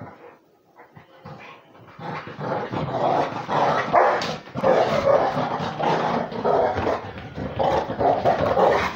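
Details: Beagle–Basset Hound mix playing with a pitbull. After a quiet start, a dense, continuous stretch of rough growling and scuffling builds up and stays loud, with harsh bark-like pulses running together.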